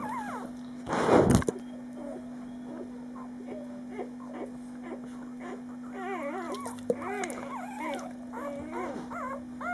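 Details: Tickled on his favourite spot, a five-day-old male puppy lets out a loud rustling bump, then a run of quick, wobbling whimpers and squeaks in the last few seconds, with a constant low hum beneath.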